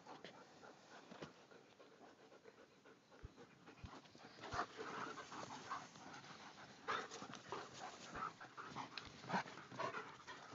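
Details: German Shepherds in a pack at Paradise Creek pant steadily, breaths coming irregularly about every half second and growing louder in the second half, with a few sharp clicks and knocks in between.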